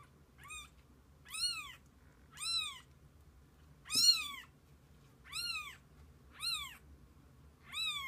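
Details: Kittens with their mother cat spending the day together: a run of high, arched kitten mews, about seven short calls in eight seconds, each rising then falling, one louder cry near the middle, over a quiet low hum.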